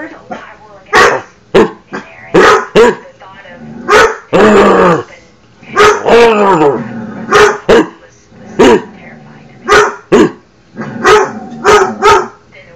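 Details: Pet dog barking at himself, sharp single barks repeated roughly every second, with a longer burst of rough growling barks in the middle and a person speaking nearby.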